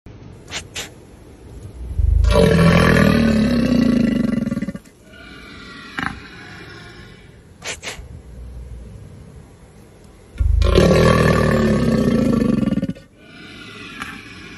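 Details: An American alligator gives two long, deep, rumbling purrs, each about three seconds, a sound described as bellowing.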